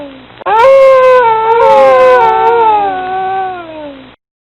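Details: Dog howling in a single long, sustained, tonal wail lasting about three and a half seconds. It begins with a short rise, wavers slightly, then slowly falls in pitch, with clear overtones. No other sounds are heard.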